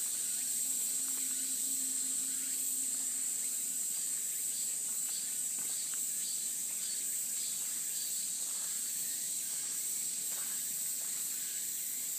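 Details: Cicadas along a mountain path in a cool breeze, a dense steady high-pitched buzzing drone holding without a break for the whole recording, with fainter pulsing trills beneath it.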